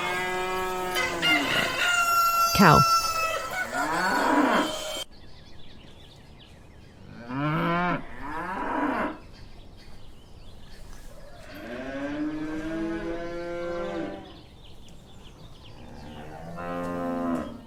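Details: Cow giving several long, deep lowing moos spaced a few seconds apart, preceded by a loud rooster crowing and clucking at the start, with background farmyard noise.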